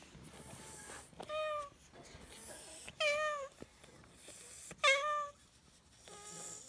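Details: Odd-eyed white senior cat, rescued in Tochigi in October 2018 and kept indoors with resident cats, gives three clear drawn-out meows that rise then fall, about two seconds apart, with a softer fourth at the end in a quiet room.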